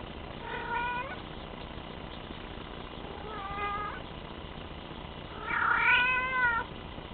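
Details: Teddy, a young male Bengal cat, calls in three harmonic meows, the first two moderate and the last one longest and loudest with a rising then falling pitch, against a constant low hum.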